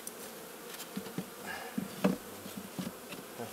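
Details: Western honey bees during a spring hive inspection in Heiðmörk, Iceland, on April 21, 2012, while the bottom board is changed, hum in a low, steady drone that swells and fades, broken by sharp knocks and taps of wood.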